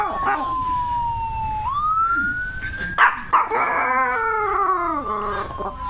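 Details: Pet Chihuahua, male, howling in response to a passing siren, as he does every time he hears one; a smooth siren tone sweeps first, then a wavering, harmonic-rich howl rises and slowly falls in the second half.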